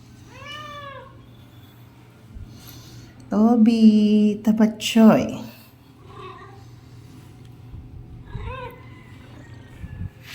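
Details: Domestic cat indoors meowing: a short arched meow, then a loud strained drawn-out meow with a harsh burst, followed by softer meows, while a person talks quietly and calls it to come and eat.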